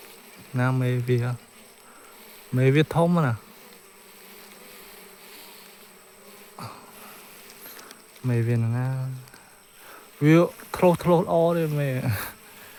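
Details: Bees buzzing while a colony's nest is searched for its queen, with low droning bursts that rise and fall in pitch as insects pass close, separated by short quiet gaps.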